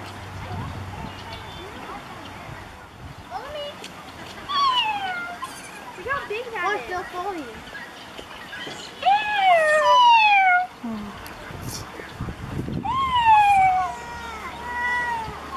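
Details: Ring-tailed lemurs give wavering, falling, cat-like wails in short bursts, possibly a territorial call, with children making noises nearby.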